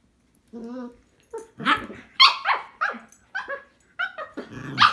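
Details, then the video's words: Cavalier King Charles Spaniels, one tricolour and one Blenheim, scuffling over a string toy; a low wavering growl opens, followed by a string of harsh, raspy barks about every half second. "Cavalier King Charles Spaniels Fighting Over Toy"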